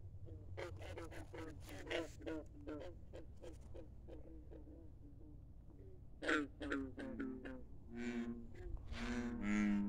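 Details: Midnight chorus of frogs beside a country pond: rapid runs of low, throaty croaks, then louder, longer resonant croaks from nearer callers, with a constant low rumble beneath.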